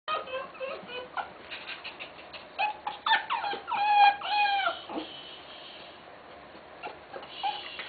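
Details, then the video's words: Female Tenterfield Terrier giving birth indoors in Japan: high, thin squeaking whimpers with rising and falling tones, loudest around the middle, separated by short pauses, with faint room noise. "Tenterfield Terrier gives birth"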